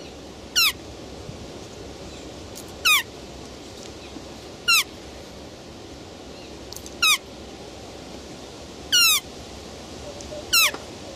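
Roe deer giving high, thin squeals that slide steeply downward, repeated every two seconds or so.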